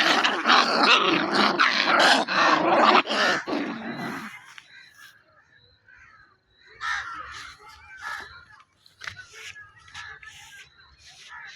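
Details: Puppies play fighting, wrestling and biting, growling as part of a playful exchange: dense rough growls and snarls for about four seconds, then quieter scattered yips and scuffling sounds.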